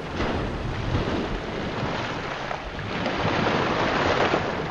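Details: Loud, steady underwater rushing and turbulent water noise fills the scene, with no animal calls heard.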